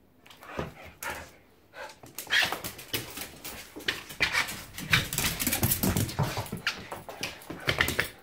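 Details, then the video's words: Whippet and pit bull mix dog doing zoomies in a small room: continuous rapid noisy bursts, scrabbling and huffing that grow busier and louder throughout, with occasional whimper-like sounds. "whippet Pitbull Zoomies"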